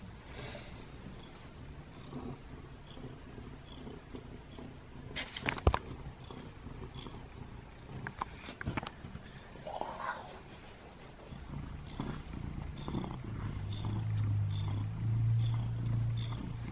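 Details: Butters, a pet cat seeking affection in a bathroom, purrs as a low steady rumble, partly masked by sharp clicks, rustling and brief human speech.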